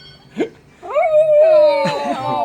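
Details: Oreo, a pet dog indoors, howls in reaction to a house phone ringing: a short yelp, then a long, steady, tonal howl rising at the start and held for about a second, followed by softer, broken whimpering notes.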